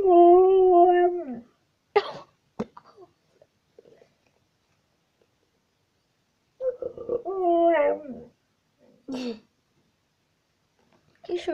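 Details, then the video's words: Pet dog named Tisha "talking" indoors in a small room: drawn-out harmonic moaning howls falling at the end, repeated twice with short huffs between, plus brief clicks and sniffs. "Dog talking again"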